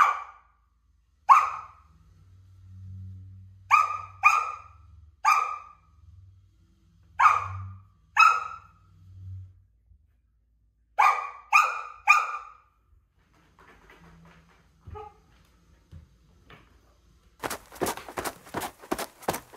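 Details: A young Samoyed barks repeatedly at a stool being moved by a toddler. Clusters of short, high barks are separated by low rumbling noise, and the barking ends in a burst of rapid scraping and clattering.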